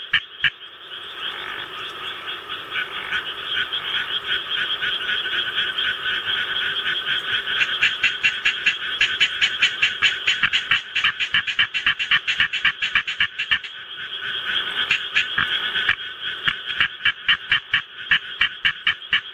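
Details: Japanese tree frog kept as a pet, set off by a rice-paddy recording played to it: dense, fast trains of sharp rasping croaks in long runs with brief pauses, over a continuous background chorus from the playback.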